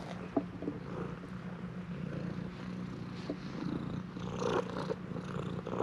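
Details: Purring stray cat at a shrine, pressing hard to be stroked, recorded on a GoPro HERO8 Black; continuous deep even purr throughout, with light handling and rustling noises on top.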